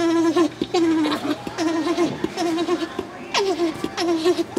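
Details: Alpaca named Tack, a male at Tokiwa Zoo in Ube, happy to finally meet the female Jane after her shearing inside the alpaca house. He gives a steady, wavering tonal hum in short, repeated bursts, some sliding downward, with faint background noise.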